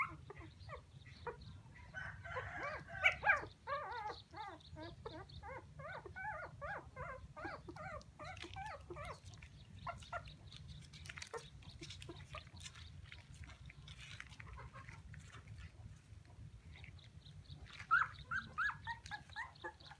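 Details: Young puppies calling for their mother, giving a dense burst of shrill, wavering whines in the first ten seconds, then sparse faint cries, and a final cluster of sharp yelps near the end over a low constant hum.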